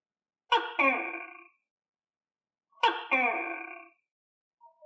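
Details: Pet tokay gecko kept indoors and fed crickets gives two loud calls a little over two seconds apart. Each is a two-part, throaty, ringing note with an abrupt start, with quiet pauses in between.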